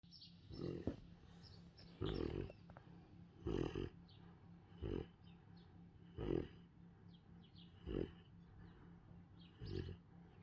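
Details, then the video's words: Central Asian Shepherd Dog puppy sleeping and snoring loudly, with short, low, rasping snores repeated about every one and a half seconds, eight in a steady rhythm over a quiet indoor background. "My Central Asian Shepherd puppy Snores loudly while sleeping"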